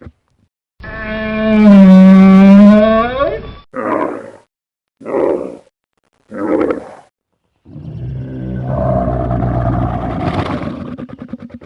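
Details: Camel letting out a long, wavering moan with a strong low tone, followed by three short, rough grunts spaced about a second apart, then a drawn-out rumbling, gurgling groan.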